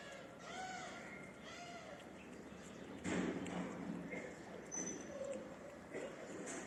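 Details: Mother street cat that has lost one of her kittens, meowing for attention: two short, arching meows in the first two seconds, followed by a thud and rustling handling noises.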